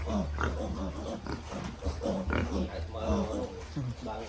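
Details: Piglets on a farm giving short grunts and brief rising squeals in quick irregular bursts, over a constant low mechanical hum.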